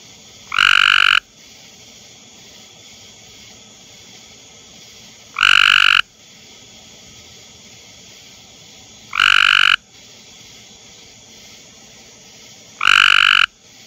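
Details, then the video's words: Male Cope's gray tree frog calling in a backyard near a small pond: four short, harsh, buzzy trills, each under a second and repeated about every four seconds, over a faint steady background hum. "Cope's Gray Tree Frog Calling"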